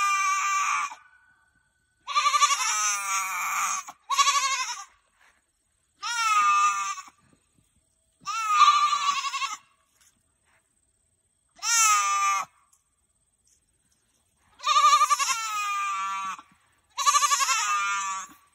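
A Nigerian Dwarf goat gives loud, wavering bleats, each about a second long, with short pauses between.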